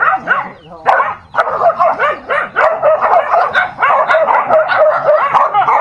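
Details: Dogs fighting: a continuous tangle of harsh, overlapping yelps, snarls and barks, densely packed and barely pausing, with one short lull before the one-second mark.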